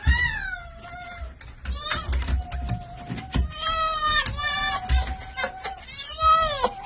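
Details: Domestic red fox, a happy female reunited with a wolf friend she missed, giving long, high whines that rise and fall, repeated over several seconds, with occasional brief human voices and low rumbling noise.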